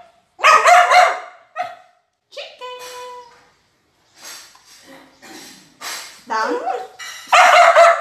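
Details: Border Collie talking during a food review of her favorite chicken: loud yowling bursts, brief whistled tones, and a rising whine, separated by short pauses, with a person's voice alongside.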